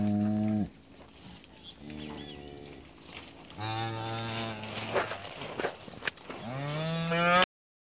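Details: Cattle offered for sale in cantón La Trinidad, San Miguel, El Salvador, in the countryside, giving several long, deep, harmonic-rich moos, one rising at the end, with faint voices and rustling between calls.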